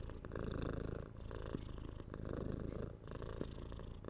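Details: Close recording of a domestic cat's purr: a rough, low, buzzing rumble rising and falling with each breath, roughly one cycle per second, with faint clicks.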